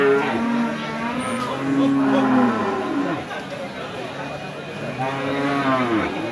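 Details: Cattle lowing at the Saturday Hazratpur cattle and goat market in Keraniganj, Dhaka, Bangladesh, among big and medium-sized red cows. Three drawn-out, gently arching moos come a couple of seconds apart over steady market chatter.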